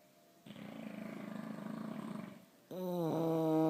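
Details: Two English Bulldogs (Canis lupus familiaris) snoring, with a rough, fluttering rattle and then a drawn-out tonal groan.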